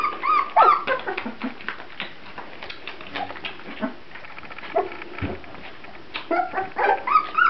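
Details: Several Grand Basset Griffon Vendéen pups whine in high, wavering, bent tones, bursting out at the start and again near the end. Softer short yelps and rustling fill the gap between.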